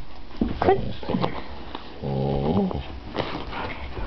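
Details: Addie, a female pet dog, gives a sustained, low, buzzy whine that rises at the end, after a few short yips and scuffling sounds, with a human voice nearby.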